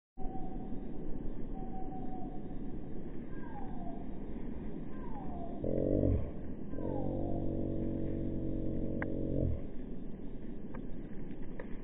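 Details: Shiloh, a hungry English Bull Terrier, gives high thin whines that slide downward, then a long steady harmonic whine-howl lasting several seconds, over a constant background hum.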